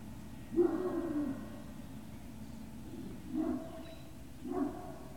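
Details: Great Dane puppies at Puppy Hill on 18 November 2018, early afternoon; three drawn-out whines or yelps, the first about a second long, two shorter ones following near the end.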